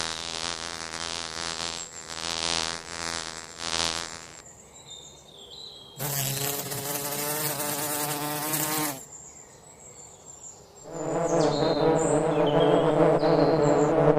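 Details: Forest bees making honey, their droning buzz arriving in three loud spells separated by quieter gaps, a rich humming tone with many overtones, with faint high bird chirps in the lulls.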